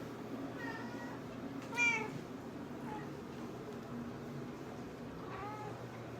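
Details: Mozuku, a rescued Nebelung cat, meowing to ask to be stroked here and there. Four short arching meows, with the second louder and higher than the rest, over a low steady hum in a quiet indoor room.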